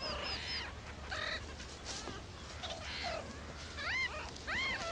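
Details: Begging baby meerkats pleading with babysitters for food: scratchy harmonic squeaks early, then two loud arching, whining calls near the end, each swooping up and down in pitch, with faint high chirps and low hum behind.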